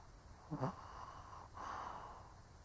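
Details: Sleeping old Shih Tzu giving a sharp snorting inhale followed by a longer, breathy snore; quiet room noise behind.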